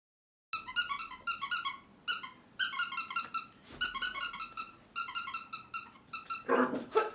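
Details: Bokjin, a three-month-old female mixed-breed puppy born 2 December 2019, plays wildly indoors, giving bursts of high, squeaky, harmonic yips in quick runs of three to six, with brief pauses between bursts over about seven seconds.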